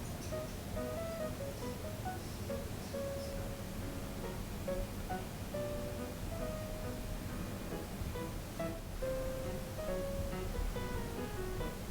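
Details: Gentle plucked guitar or ukulele music plays steadily throughout, with no animal sound standing out.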